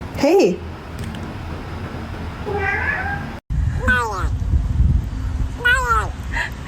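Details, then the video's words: A cat meowing: four wavering, drawn-out meows over about seven seconds, the later ones louder and arching up then down in pitch, over a steady low background rumble. "Funny Cats Sound"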